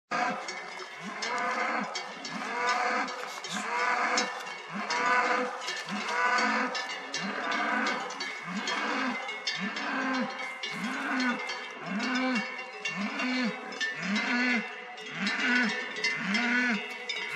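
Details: A herd of cows lows with deep, overlapping moos almost every second while cowbells clank; the mooing alerts a group of wild boars.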